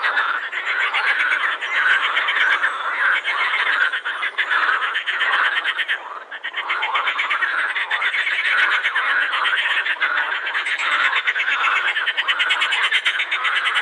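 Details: Many edible frogs calling together at Krebsenwasser pond, Prater, Vienna, vocal sacs inflated; rapid clicking rattles and quacks layer into a dense continuous chorus, with a short lull near the sixth second.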